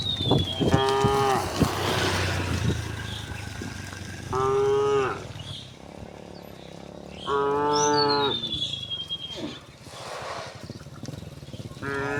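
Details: Cows returning home along village streets call with four short, bright moos spaced a few seconds apart, over rustling, shuffling noise and birds whistling above.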